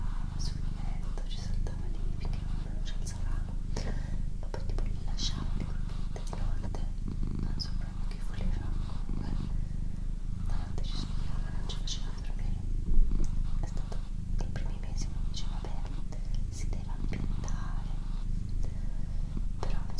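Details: Female cat Doroti purring in a continuous low rumble pulsing with her breathing, while a person whispers softly in Italian over the top.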